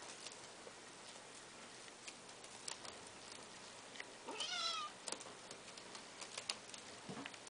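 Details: A chinchilla/golden Persian cat gives a single short, high meow among faint clicks and taps; Persian cat.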